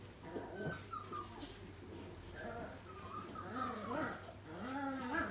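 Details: A Pembroke Welsh Corgi at a pet shop gives high, wavering whines and short yips, with faint voices in the background.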